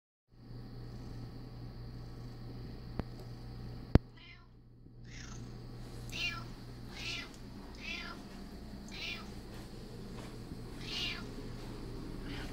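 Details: Pet cat named Curious, a female, yelling insistently while her food is being prepared, giving short harmonic meows roughly every one to two seconds over a steady low household hum, preceded by a sharp click.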